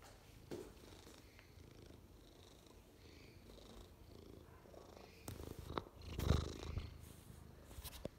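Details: Purring of Ragnar, a 6-year-old Maine Coon cat looking for a home: low, even rumble, growing louder with rustling and brief bumps after five seconds.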